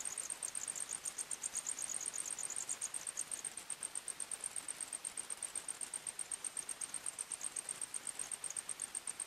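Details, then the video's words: Crickets chirping in a forest at night: a fast, even train of high, thin pulses with a second, lower pulsing voice in the first few seconds, over a soft hiss. "45 Minutes Criket Sounds, Night time Forest Sounds"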